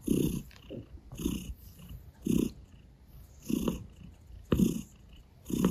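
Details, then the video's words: Female Russian Blue cat kneading, making biscuits, on a sofa beside a person, purring in low rumbling pulses that swell and fade about once a second, with soft breathy hiss between pulses. "The russian blue female cat came to me on the sofa to make a biscuit ASMR"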